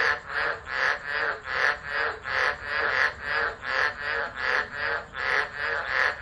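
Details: During a December 2013 tropical storm at Driver, Northern Territory, Australia, frogs call beside a phone set down and left. Rapid buzzy croaking pulses, nearly three per second, run on without pause.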